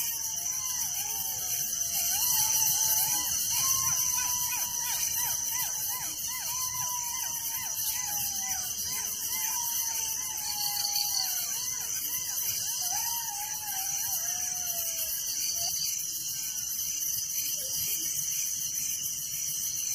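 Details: Crickets at night in a village: a steady, shrill, high insect chorus with a fast pulsing beat, overlaid by a long run of clear whistled notes that slide downward, given one after another for most of the stretch.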